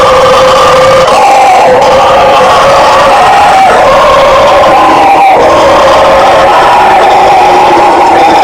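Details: Howler monkey (bugio or guariba) of the Brazilian fauna roaring: a loud, continuous, droning chorus of deep guttural roars with sustained wavering tones, unbroken for the whole stretch.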